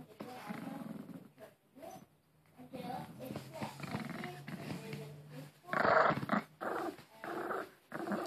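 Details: Pet Maltese named Harry clings to his beloved Angry Bird toy, letting out a sustained low, steady growl through the middle of the clip, broken by a person's voice and sharper noisy bursts near the end.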